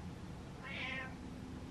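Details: Pet cat calling to have the lights turned on in the dark: a single short meow under a second long, rising then falling, over a steady low room hum.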